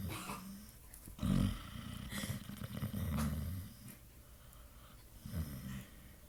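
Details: Sleeping Pit Bull snoring as it dreams, genuine sounds; a few loud gravelly snorts stand out over softer low rumbling breaths in a small quiet room.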